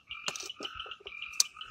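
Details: Frog calling at night in the Amboli hills forest, Sindhudurg: a steady, two-toned buzzing trill broken by short clicking pulses, close and clear against a quiet background.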